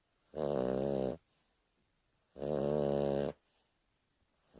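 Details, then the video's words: Boston Terrier named Turbo dozing through a lazy afternoon nap: two long, buzzy snores, each close to a second, with a quiet gap of over a second between them in a small room. "Boston Terrier snoring for a minute"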